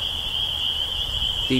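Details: A dense chorus of spring peepers calling for mates in a swamp at East Dennis, Cape Cod, Massachusetts, on 12 April 2015 in early spring. Their high piping calls blend into one steady shrill band.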